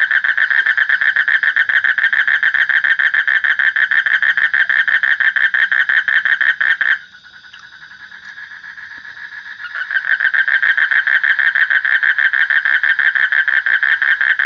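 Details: A frog chorus of fast, even, rattling mid-pitched pulses that breaks off midway into a quieter, smoother trill for about three seconds, then resumes at full strength.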